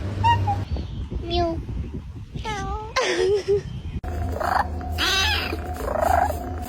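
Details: A pet cat gives a series of odd, drawn-out meows, some rising and some wavering and bending in pitch, each lasting under a second, as a human voice speaks over the later part indoors.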